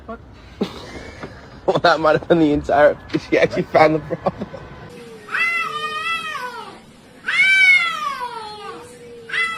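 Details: Human speech fills the first half, then a domestic cat answers with a string of long, wavering meows that rise and fall, ending in a drawn-out, low falling tone.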